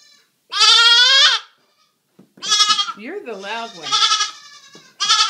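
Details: Three-day-old goat kids, newly rescued from a hoarder and living as house pets, romp and feed; a loud, sustained, quavering bleat, then more strained bleats overlapping a woman's voice, ending on another sharp cry.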